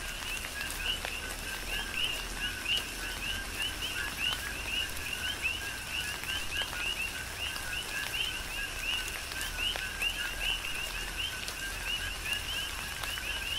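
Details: Rhythmic coqui frog chorus recorded in tropical rain on Hawaii's Big Island, dozens of quick rising chirps overlapping without pause, accompanied by continuous rain noise and sharp drip sounds.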